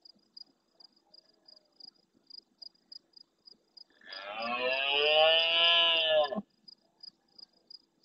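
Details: Large rutting red deer stag roaring hard at nightfall close to a camera in the Doñana National Park marsh at El Rocío, Huelva, Spain, answering distant males: one harsh, rich roar of about two seconds, with steady rhythmic cricket chirps before and after.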